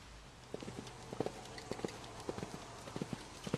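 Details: Seven-year-old male Belgian Draft and Quarter Horse cross, an experienced fox hunter, moving with clear clip-clop hoofbeats: irregular pairs and clusters of sharp thuds over a steady low background hum.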